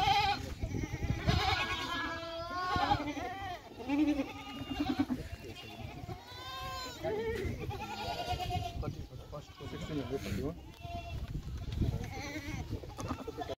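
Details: Goats on a farm in Rajasthan, India, being readied for transport to Sikkim; several wavering, nasal bleats rise and fall and overlap through the recording, with people talking in the background.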